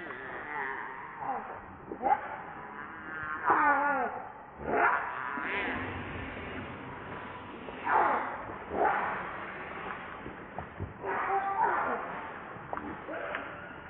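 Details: Hungry baby monkey named Rainbow, wanting milk and refused by its mother, gives a run of quavering wails and shrill squeals, several rising cries in quick succession between three and six seconds, then broken whimpers later.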